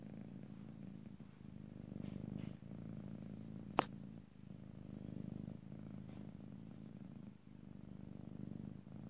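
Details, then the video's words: Steady, throaty cat purr in stereo ear to ear, a deep vibrating rumble rising and falling with each breath, broken once by a single sharp click. "ASMR Cat: Purring"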